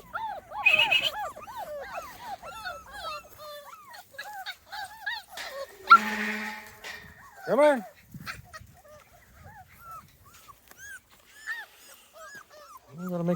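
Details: Small Munsterlander puppy litter at 2.5 weeks old, first time outdoors with a visit from an older litter: scattered high whimpers and squeals from several pups, with a few lower yelps and brief human voices.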